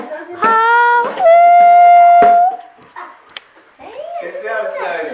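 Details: Sojourner Truth, a female Alaskan Malamute called Sojou, howls along to music children make during a home jamming session: a rising note, then one long, level, clear tone held over a second, followed by people talking.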